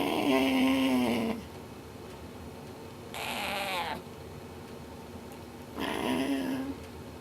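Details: Napoleon, a 13.5-week-old vocal cat with a wide repertoire, opens with a loud drawn-out steady tonal cry lasting over a second, then two short breathy bursts; a person sympathises in between.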